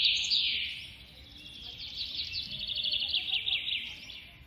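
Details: Pet baby squirrel in India during feeding gives one continuous high-pitched squeal. It is loudest at the start, dips, then returns as a trembling, pulsing squeak for several seconds.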